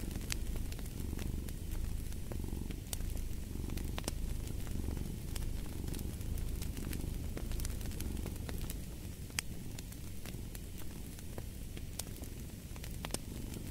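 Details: Cat purring beside a crackling fireplace: a steady low rumble that swells and fades with each breath, roughly once a second, under frequent sharp pops and snaps of burning wood.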